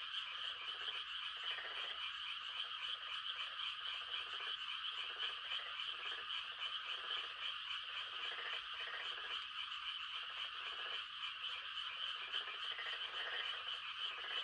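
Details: Frogs giving mating calls on a quiet countryside night in rice-planting season: a dense, steady high trilling chorus overlaid by lower, pulsed croaking bursts about a second long, repeated irregularly throughout.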